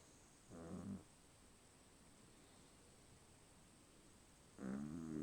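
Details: A sleeping dog snoring, said to snore louder than its owner: two short, low, rasping snores with a droning harmonic tone, about four seconds apart, separated by quiet background hiss.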